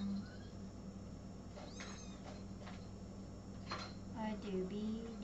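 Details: Little kittens, recorded 13 May 2017, giving a few thin, high mews, one brief upward-sliding cry and then a short falling squeak, over a steady low hum in a small indoor space.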